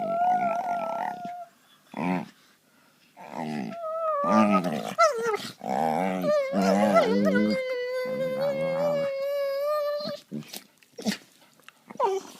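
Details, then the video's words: Two pet dogs play fighting and gnawing at each other on a couch: drawn-out, tonal whining cries alternate with wavering, throaty growl-like grumbles in irregular bursts, with short quiet gaps between. "Dogs making funny sounds"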